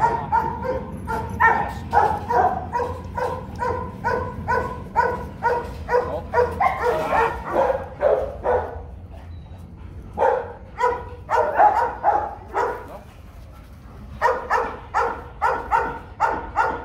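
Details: Kennel meeting of Rottweiler Bruno, a Latvian young champion, and his son Igor at 7 months old; long bouts of rhythmic barking, about two barks a second, broken by short quiet gaps and a denser, busier stretch near the middle.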